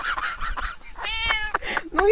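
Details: Domestic cat crawling through snow, burrowing deep and coming back out; a drawn-out tonal meow rises and falls in the middle, with human voices chattering around it and a shorter squeaky cry near the end.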